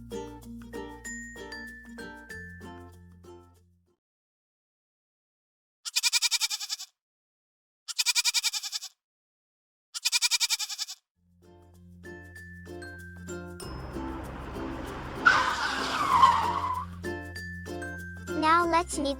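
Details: A goat bleats three times, each a short, trembling, high-pitched call about two seconds apart, set between stretches of instrumental music and a whooshing transition sound.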